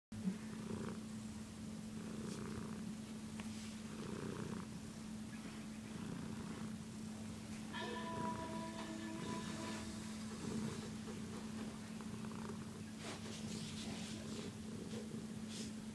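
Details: A pet cat purring steadily, a continuous low rumbling purr with rhythmic breathing pulses about once a second, plus brief tonal squeaks in the middle and faint handling noises.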